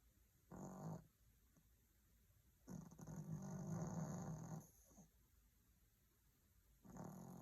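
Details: Maltese dog snoring softly in deep sleep under a cozy blanket: low, rough breathing snores, one brief, then a long drawn snore of about two seconds, then another begins; a faint steady high hum underneath.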